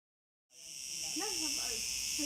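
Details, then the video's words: Cicadas, thousands of them in a villa garden on Gozo, switch on abruptly half a second in: a dense, steady, high-pitched hissing drone, with low voices murmuring faintly underneath. "Gozo's noisy Cicadas"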